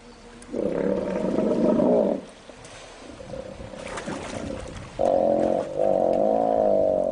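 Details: Young hippopotamus facing the dominant male, trying to negotiate with deafening groans and grunts; loud harsh groaning bursts, a long rough one then a tonal, wavering bellow split in two parts, with splashing between.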